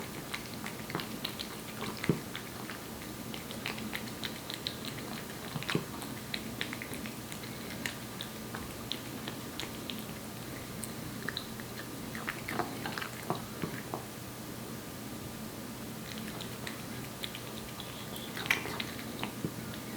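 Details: Korean Shorthair cat Aepi, one year old, chomping wet cat food at length; continuous soft smacking and tongue clicks in irregular bursts, a few louder snaps now and then, against a quiet low hum.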